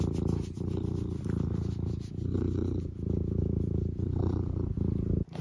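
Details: A tabby cat purring indoors beside the person after a long day, a low continuous rumbling throb with soft pulsing swells and brief dips, with some quiet talk mixed in.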